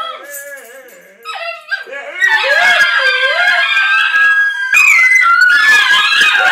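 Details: Three pet Basenjis howl together, a chorus usually set off by a passing plane or by their owners howling; wavering yodel-like notes rise and fall, then swell into a loud, sustained layered howl of overlapping voices.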